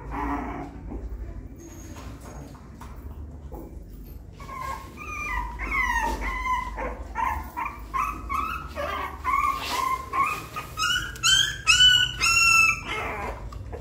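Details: Puppy learning to climb a little step into its nest, quiet at first with rustling, then breaking into a quickening series of high, clear whimpers and squeals that grow louder toward the end.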